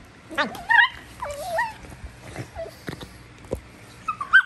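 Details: Female Basenji Prisca squeals in a wild-dog style as a show of toughness: bending, yodel-like whines that swoop up and down, with scattered short yips and clicks between them.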